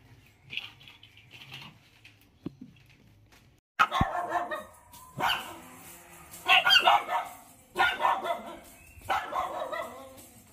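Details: Lhasa Apso puppies, one of four, barking in a series of rough, noisy yaps repeated every second or so after a quiet start, with faint background sounds.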